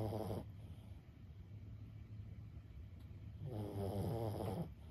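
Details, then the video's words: Sleeping senior Boston Terrier named Lulu, aged 15: a throaty snore fades out at the start, then a quiet pause, then another rumbling, fluttering inhale snore near the end. "シニア犬15歳 作業のお供に最高のBGMはいかがですか？ブヒブヒ【Boston Terrier Lulu】"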